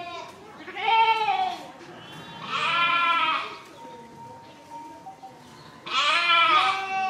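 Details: Three drawn-out sheep bleats, each about a second long and quavering, spaced roughly two seconds apart, with a faint steady tone in the quiet gaps.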